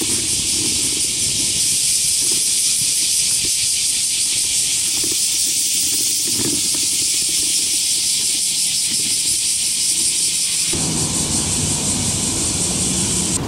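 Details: Many cicadas sing on a sunny, hot summer morning (August 4, 2023) near the Motoyasu River and Senda Park, Hiroshima, Japan: an unbroken, high-pitched, shimmering rasping drone with a faint pulsing texture over a low rumble of distant traffic.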